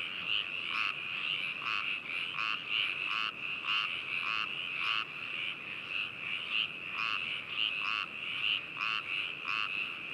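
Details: Frogs calling at Hakushu, Hokuto, Yamanashi, Japan, on 4 May 2018, recorded binaurally with a ZOOM H2n: a steady high trilling chorus, overlaid by loud, harsh croaks repeated several times per second.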